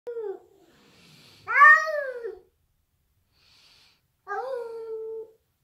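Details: An adult Siamese cat and a young Bengal cat trade drawn-out, wavering yowls in a tense standoff over who is in charge in the house.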